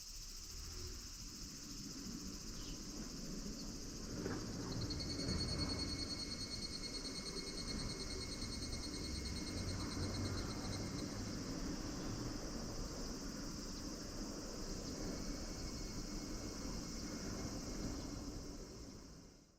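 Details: Higurashi cicadas singing in August 2026 at Minoo Park, Kawachinagano and Mount Koya: a high, shimmering chorus with thin, pulsed ringing tones that run on for several seconds, over a steady low background hum.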